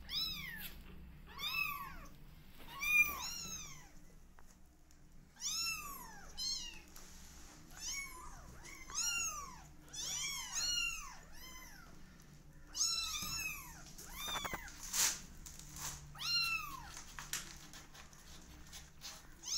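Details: A litter of twenty-day-old kittens keeps up a steady chorus of short, arched, high-pitched meows, overlapping voices repeating roughly every second for twenty seconds, with a brief knock midway.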